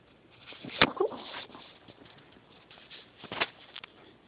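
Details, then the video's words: Female pet dog asleep and snoring with a funny noise: two sharp snorting bursts about two and a half seconds apart, each followed by softer rasping breaths, in a quiet room. "Snoring Dog"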